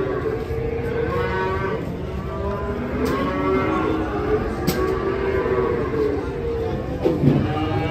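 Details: ['Cattle being unloaded from a truck call in a series of wavering, drawn-out moos amid loud crowd chatter, engine rumble and occasional clatter.']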